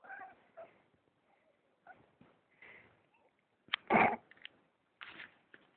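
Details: Persian cat, a pet that will not leave its owner's arm alone, giving a series of short, soft mewing cries with one louder, harsher call near the middle and a final brief cry at the end; indoor setting, otherwise quiet.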